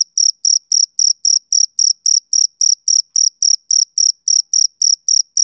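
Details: Summer-evening chirping from a male cricket: a steady train of brief, piercing, high chirps at nearly four per second, very regular, with a silent background.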